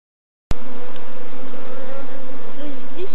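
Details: ['A swarm of Apis mellifera scutellata, African killer bees, being caught in Kenya, East Africa: steady loud droning hum with a wavering tone, starting abruptly after half a second of silence.']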